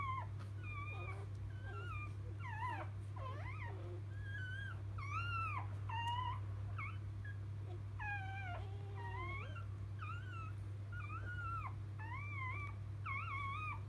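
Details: Newborn field-type Labrador Retriever puppies, just born to the mother biscuit, 2017 JFA grand champion, give many arched, whining squeals that rise then fall, overlapping almost without pause over a steady low mechanical hum.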